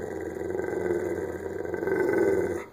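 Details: Pit bull male waiting patiently for permission to eat, giving a steady low growl that swells toward the end, with a constant background hum.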